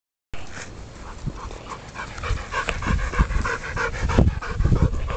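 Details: A 10-week-old puppy playing with a ball, showing ball drive. Irregular, rough breathy bursts with low thumps of movement, growing busier and louder toward the end, plus a few brief tonal squeaky notes in the middle.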